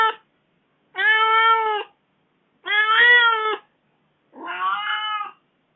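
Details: Domestic cat sounding hurt and complaining after being left alone for four days; four drawn-out meows in a row, the last one softer and wavering, in a quiet indoor room.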